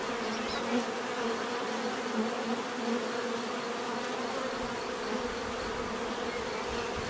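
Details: Bees' natural buzzing makes a continuous humming drone. Small flickers of louder buzz come and go as single insects pass, over a constant low hum and light hiss.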